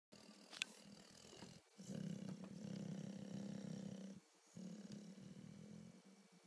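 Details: Mister the dog napping and snoring: a deep rasping low rumble held for over two seconds, a brief pause, then another long drawn-out snore, with a faint hiss in the background.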